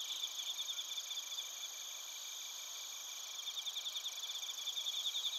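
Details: Chorus of bell crickets and crickets from Narita, Chiba Prefecture, Japan, recorded on a TASCAM Portacapture X8. Steady high insect ringing with fast beaded pulses, softer at the start and growing more distinct toward the end.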